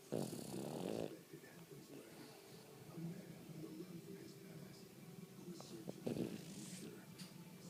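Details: A dog named Jasper snores, with a harsh, throaty inhale at the opening and another about five seconds later over a low, quiet room background with faint voices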